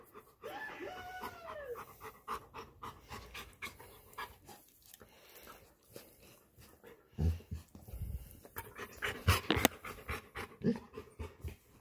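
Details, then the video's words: Golden Retriever named Rex crying because he wants to go for a walk: a high, wavering whine that arches and slides downward in the opening seconds, followed by irregular snuffles, panting bursts and thumping handling noises. "Golden Retriever Dog Rex 🐕 crying 😢 He wants to Walk."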